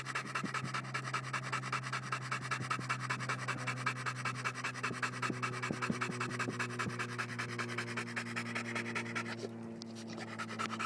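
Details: American Bulldog panting fast and steadily, about two and a half raspy breaths per second throughout, over a constant low hum.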